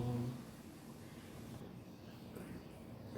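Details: Quiet indoor room noise with a faint low tone at the start and no animal sound heard.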